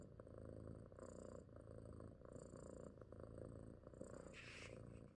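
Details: Female domestic cat purring softly: a steady low rumbling purr with a gentle pulsing rhythm runs unbroken for about five seconds, with faint high hiss above and a brief brighter rustle near the end.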